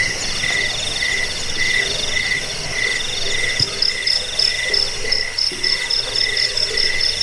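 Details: Cricket chorus played to drive off rats, aid sleep and tutor cage birds: shrill high-pitched trills run continuously, joined midway by brighter rapid chirp bursts, over a fainter lower pulsing layer and one brief thud.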